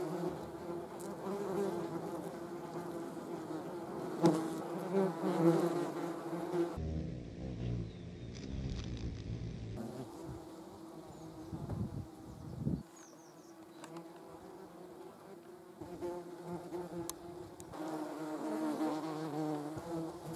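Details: German wasps (yellow jackets) filmed in slow motion: a rich, low, droning hum of wings that wavers in loudness, breaks off briefly in the middle, then returns.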